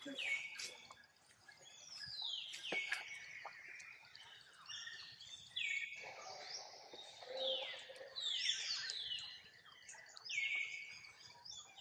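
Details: Tiny young monkey crying to call its mother to come and help; drawn-out, high whistled tones that slide down then hold steady, repeated and overlapping in quick succession, with other similar cries and faint chatter behind.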